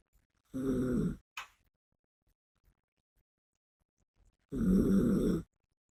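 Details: Biske, a female Yorkshire Terrier, snores while asleep: two rough, throaty snores about four seconds apart, each under a second long, with a brief sniffing breath soon after the first. The room is otherwise quiet.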